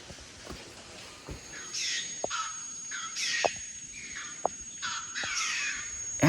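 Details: Rock hyraxes in the bush near a cave in Kenya give harsh, rasping alarm calls, repeated every second or so, at a bird of prey hovering overhead.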